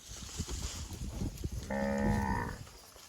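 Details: Well-fed cow feeding on grass in the bushes lets out a single deep, steady moo under a second long, preceded by crackling munching and rustle of vegetation.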